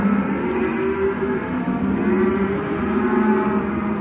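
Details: Calves in lot 4 at Lago Escondido lowing together in a steady, overlapping low drone, sustained tones running unbroken through the whole stretch.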